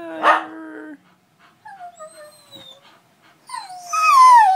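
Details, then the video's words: Howling from Zara, a pet dog missing her owner, and the other dogs: one sharp bark, then long falling moans and a loud, high wavering howl rising at the end. "Howling dogs harmonize"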